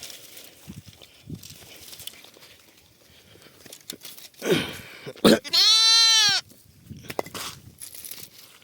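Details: Lambs running to their mothers to suckle: one loud, clear, tonal bleat of about a second with stacked harmonics, after quieter rustling and footsteps, then faint background noise.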